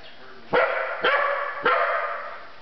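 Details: Family dog barking at someone: three quick, harsh barks about half a second apart, each ending in a short fading tail.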